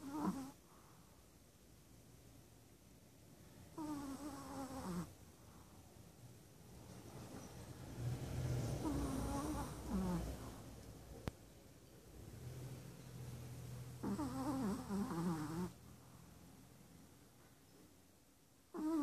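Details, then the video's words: Sleeping six-month-old Chihuahua, recently adopted from a shelter, snoring steadily: nasal, fluttering snores with wobbly whistling tones, returning every few seconds, softer rumbling breaths between them, in a quiet indoor room. "Chihuahua - Snoring!"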